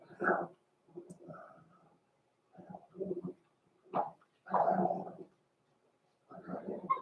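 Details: Blenheim Cavalier King Charles Spaniel puppies, born November 14, 2022, from a small litter in an indoor puppy pen before Christmas, give bursts of short rough yips and low growly barks, spaced by brief pauses over seven seconds.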